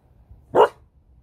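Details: Female beagle giving one short, loud, sharp bark on the spoken command 'speak'. The room is otherwise quiet apart from faint low background hum.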